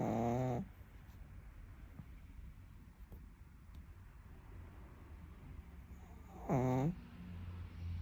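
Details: Pug snoring while sleeping: two brief, nasal, wavering snores, one at the start and one about six seconds later, with quiet breathing and a low hum between them.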